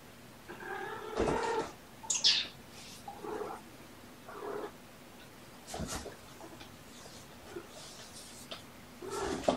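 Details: Kittens from a litter of three born November 22 to a surrendered mother cat, Olympia, recorded sleepy in the afternoon of 2018-02-13 while being petted. One drawn-out harmonic meow comes early, followed by shorter soft calls, clicks and rustling.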